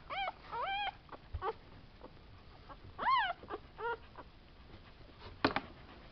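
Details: Litter of Tibetan Terrier puppies, born 11 July 2012, at a Hungarian kennel: scattered soft, arched whines and yips with pauses between, one louder rising-falling whimper in the middle, and a brief knock toward the end.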